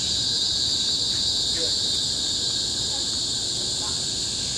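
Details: Cicadas on Bukit Timah Hill, Singapore, in tropical forest, 2017, produce a dense, steady high-pitched shrilling, constant and unvarying for the whole moment, with a few faint soft chirps underneath.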